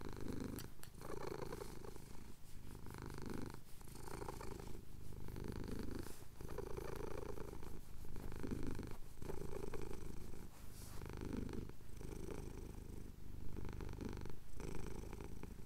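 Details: Contented purring from a male cat having his chin scratched at sunrise in the Cotswold hills, a low throbbing rumble rising and falling with breaths roughly every two seconds; captured on a Tascam DR-07X recorder.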